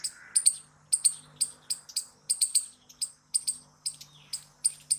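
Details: Squirrel noises: bright, piercing chips, often doubled, repeating about twice a second. A soft hum runs low in the background.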